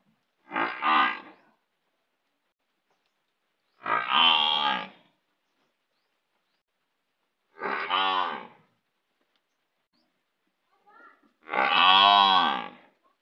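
Four low, harmonic bellows come from a buffalo, each lasting about a second and spaced several seconds apart. The last call is the loudest and fullest, with nothing else heard in the silent gaps.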